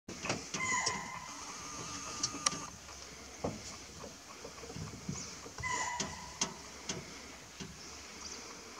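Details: Chital (Axis axis), spotted deer near the Kabini backwaters in Nagarhole National Park, gives shrill, high alarm barks warning of a predator, two brief calls several seconds apart.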